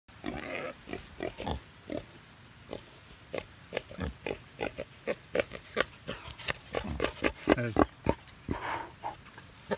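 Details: A wild boar, during an attack, gives rapid, harsh grunts broken by a few higher, strained squeals.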